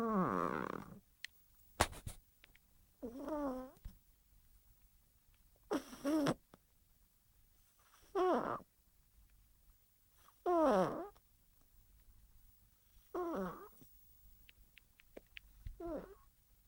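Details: A cat snores in a quiet indoor setting, each rasping, wavering breath arriving about every two to three seconds with silent gaps between.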